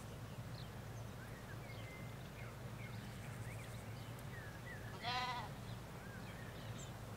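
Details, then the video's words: A single short, loud, wavering bleat from ewes and lambs grazing a Hampshire field, preceded by scattered thin bird chirps and whistles over a constant low drone of road noise beyond the hedge. "4K Sheep Field - One Hour Sound and Video"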